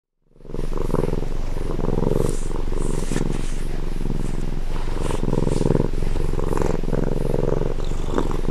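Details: Domestic cat purring, recorded at close range: a steady, low rumbling purr with a regular pulsing rhythm, continuous throughout after a brief silent start.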